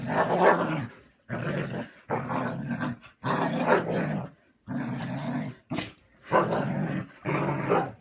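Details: Grumbling Siberian Husky giving repeated throaty, growl-like moans about a second long with short gaps, plus one brief sharp burst, possibly a sneeze, just before the six-second mark.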